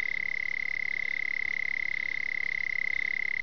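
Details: Red-bellied toad (Melanophryniscus aff. tumifrons) of Gravataí, Rio Grande do Sul, Brazil, vocalizing during amplexus and spawning at temporary running water after intense rain. A loud, sustained, high-pitched pulsed trill, with rapid even pulses throughout, stands clearly above quiet background.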